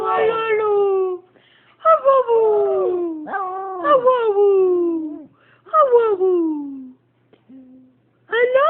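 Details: A Siberian husky with one blue and one brown eye howls in a series of drawn-out, falling wails with a strong, voice-like tone.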